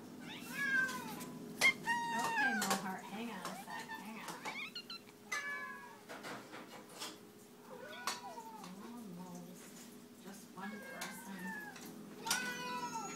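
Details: Cats meowing repeatedly around feeding time, roughly one call per second, short upswept and drooping meows from several animals, with occasional clanks, a voice and a low steady hum.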